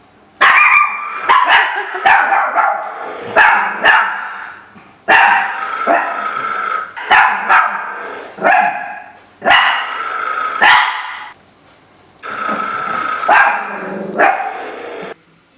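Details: Three pet Chihuahuas playing together bark in bursts: high, sharp yaps and rapid strings of barks, some with a growly edge, grouped in clusters separated by short pauses.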